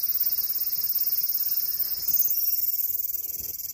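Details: Cicada song, a shrill high buzz pulsing rapidly about three times a second, steady and rhythmic with a slight shift in pitch midway.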